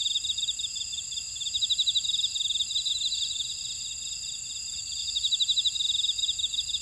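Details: Constant high insect trilling from a buckwheat field on Jeju Island, South Korea, with a prominent rapid pulsed chirping line repeating in bursts, swelling near two and five seconds above a steady shimmering background.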